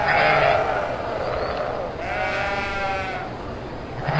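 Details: Kacang goats, males and females offered for sale, bleating: a loud wavering bleat at the start, a second long quavering bleat midway, and another starting at the end, over a steady noisy background.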